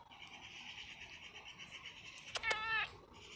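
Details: Roger, an expressive pet cat, gives one short, bright meow with clear stacked overtones near the end, after a steady high background hum and a couple of faint clicks.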